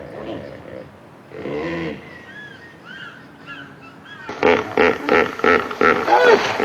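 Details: Hippopotamus in Africa in its natural habitat. Short chirps of other birds come first, then a rapid series of loud, harsh, pulsed honks, about three per second, ending the recording.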